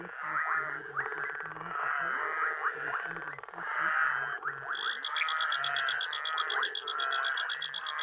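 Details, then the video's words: Ugandan night chorus of frogs and toads: overlapping harsh croaks and clicking rattles throughout, with a rapid high-pitched pulsed trill joining in the second half. "Frogs and Toads, Uganda's night sounds"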